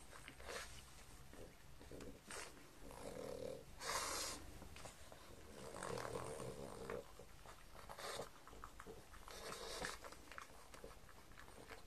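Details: Pug Mars eats and sniffs at breakfast of croutons, bacon and cucumber indoors. Loud nasal snorts and huffing breaths rise in several bursts between lighter chewing clicks.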